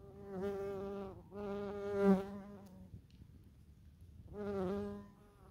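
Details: Bees and bumblebees among false stonecrop (sedum) flowers in a country garden plot in Germany; a low droning buzz with rich overtones swells and fades as insects pass close, three separate passes with quieter gaps between.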